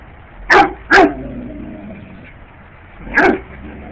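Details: Bear dog barking while chasing bugs: two sharp, loud barks half a second apart, then a quieter whimpering tail and a single further bark after about two seconds.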